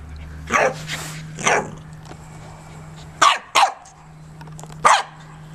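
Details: Joy the corgi, running, gives bright barks: two spaced barks, a quick double bark, then a final single bark, over a steady low hum that cuts out partway through.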